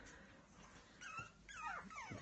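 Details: Biewer Terrier puppy whimpering indoors: thin, high whistled whines that curve up and down, a few short squeaky cries clustered in the second half over a faint steady background hiss.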